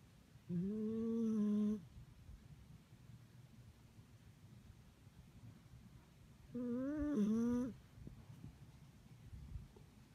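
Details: Sleeping dog snoring indoors: two drawn-out whistling, wavering tones about six seconds apart, each lasting just over a second, with quiet low room hum between breaths.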